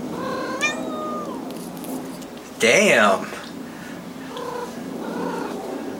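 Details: Blue point Siamese cat in an apartment gives one clear drawn-out meow early on, followed by a loud burst of handling noise and a person's voice, then fainter murmured sounds.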